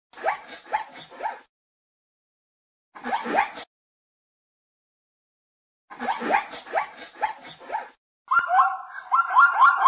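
A zebra gives bursts of hoarse, yelping barks, each run of quick harsh notes separated by pauses.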